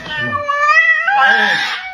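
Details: Pet cat indoors giving one loud, long meow that rises and then falls, lasting about two seconds.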